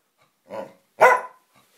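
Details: A Samoyed and a Siberian Husky in a friendly play fight; one gives a short low gruff bark, then a louder, sharper bark-growl follows half a second later.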